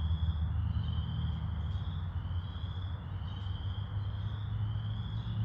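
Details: Chorus frogs in Wentworth Woods in May 2021 give a steady, high-pitched trilling chorus over a low background rumble.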